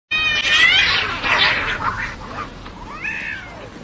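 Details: Domestic cats in a real fight: harsh, strained yowls and hisses crowd the opening two seconds, then shorter rasping cries fade, with a final wavering, rising-falling yowl near the end.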